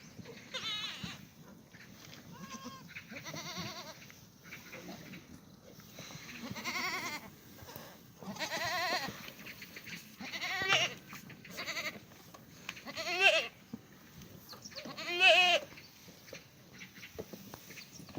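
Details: Several black goats bleat in a farm's goat exercise yard in Gimhae, South Korea, on a sunny Tuesday morning, 2 April 2019: wavering, nasal calls overlap and repeat irregularly, some rising to loud quavering cries near the end.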